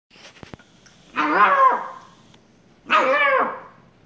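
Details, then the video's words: Shiba Inu puppy tackling its sister during play, giving two separate harsh, high barks about a second and a half apart with faint knocks before them. "Shiba Puppy tackles sister"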